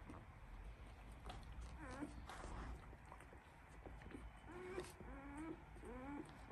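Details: One-week-old Labrador Retriever puppies from a breeder's litter give short, high, arching whimpers and squeaks, several in quick succession toward the end, over a steady low indoor hum.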